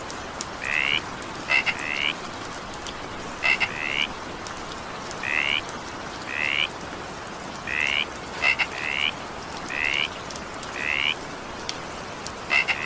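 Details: Frog calling during evening rain: short rising, slightly buzzy notes near the upper-middle range, often a quick double note followed by a longer rising trill, repeated roughly every second or two over a steady hiss of rainfall.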